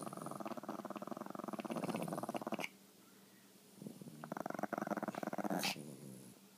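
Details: Competing for the best couch spot, pet Chihuahuas trade a rasping, throbbing growl, a short silent pause, then another growling bout ending in a sharp high yip.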